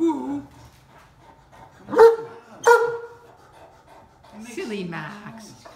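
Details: A talkative deaf Great Dane complains at being stuck on a golf cart and does not want to get off. Low, sliding groans frame two loud, abrupt barks, then a falling, wavering whine.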